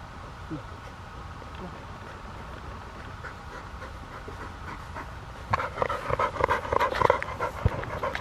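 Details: Field-type Labrador Retriever, one year three months old, during frisbee disc training: quiet at first, then fast rhythmic breathy panting starts about two-thirds through and continues to the end, with brief human speech nearby.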